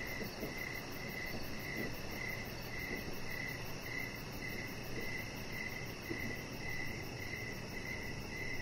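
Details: Crickets chirping outdoors in the evening beside a deck where a chihuahua puppy lies; short, high, even pulses repeat roughly twice a second over a steady low rumble of background noise.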